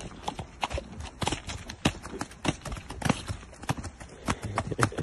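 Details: Gidran and Holsteiner horses on a short ride, hooves striking hard ground in quick uneven clip-clop beats, roughly a hundred per minute, with sharp percussive knocks throughout.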